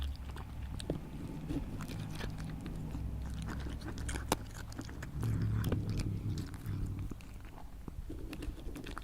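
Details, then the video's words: Animal, possibly a cat, eating: rapid soft chewing and clicking bites over a low rumble, somewhat quieter, with one sharp crack partway through. "Cat/ Animal Eating"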